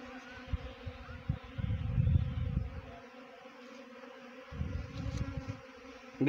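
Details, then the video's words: Honey bee swarm during swarm trapping: a low, droning buzz swells in loud bursts near two and four and a half seconds over a steady hum, easing between bursts, with faint voices in the background. "Best Honey Bee Swarm Trapping"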